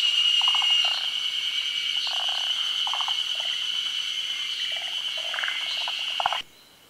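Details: Several forest green tree frogs, Japan's endemic tree frog, calling during a midday spawning. Brief clucking pulse trains come in irregular bursts over a constant high-pitched insect hum, which cuts off sharply near the end.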